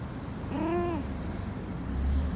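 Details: Persian cat in heat, named Ash, gives one drawn-out harmonic meow that rises and then falls over about half a second. A low steady background hum runs underneath.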